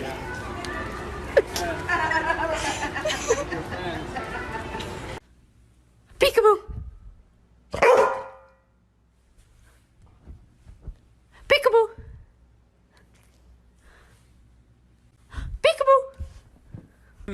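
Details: A pet dog barks in short, sharp, harmonic bursts, five spaced barks with quiet gaps between them, after several seconds of talking and clattering noise.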